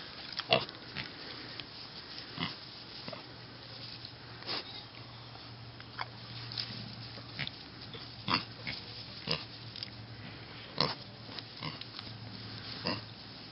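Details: Piglets of a mini pig breed on a farm, snuffling and rooting: sparse, quick clicking sniffs and soft snorts scattered across about thirteen seconds, with a steady low hum in the background.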